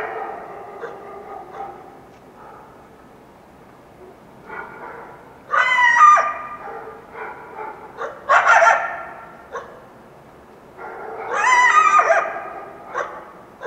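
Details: Yelping of a wild coyote at dawn following a full moon night, Washington Cascades foothills: three loud bursts of sliding, quavering yelps about three seconds apart, with softer yips in between.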